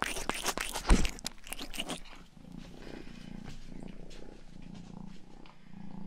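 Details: Rangi, the youngest pet cat, recorded indoors for ASMR: about two seconds of wet licking and rustling, then a soft, steady purr of low rhythmic pulses rising and falling with each breath.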